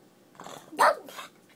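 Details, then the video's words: Female pug's odd, whistle-like bark: a short strained yelp peaking near the middle with a fainter follow-up, as a person asks "What?" around it. "Whistling dog"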